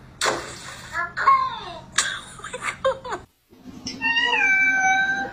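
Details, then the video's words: Domestic cat meowing in several drawn-out, wavering calls with rising and falling pitch, separated by brief pauses, ending in a long sustained meow; a person's voice is faintly heard alongside. "Talking Cats"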